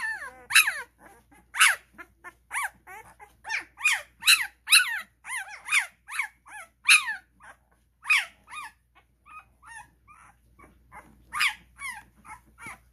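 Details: Twelve-day-old Cane Corso puppies at a kennel, crawling toward the welcome room exit; a dense run of high, sharp squeals and yelps, roughly two per second, easing briefly before a final burst.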